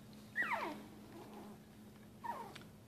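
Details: Newborn full-bred Shih Tzu puppies, born March 19, 2015 and raised indoors in a family home, give two thin whimpers about two seconds apart. Each slides quickly downward from a high squeak, and the first is louder and longer than the second.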